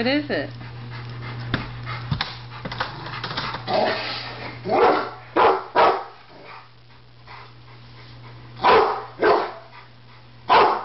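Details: Rottweiler still wary of a barbecue grill, with a Doberman present; a person speaks softly at first, then the dog gives several sharp, hoarse barks in pairs over a faint steady hum.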